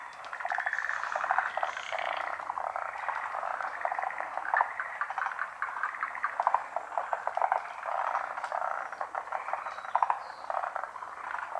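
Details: Dense pond chorus of frogs in Japan, continuous rapid clicking croaks from many unseen callers, a faint high trill at the start and scattered sharper notes later.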